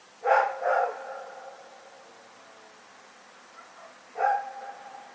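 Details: Rex, a dog, barking in the night, recorded on 27 February 2018: a quick pair of harsh barks, a pause of about three seconds, then one more bark fading into a faint echoing tail over quiet background hiss.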